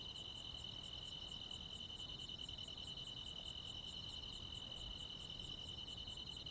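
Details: Crickets and assorted insects ringing out on a countryside midsummer night. A constant, finely pulsed high trill is joined by evenly timed, sharper high chirps roughly every 0.7 seconds, with soft low background noise.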